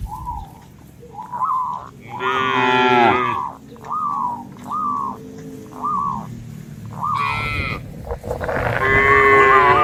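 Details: A herd of cattle crosses a field path border in green rice paddies, leaping as they go; several drawn-out lowing calls stand out above steady background noise and a series of short, repeated high chirps.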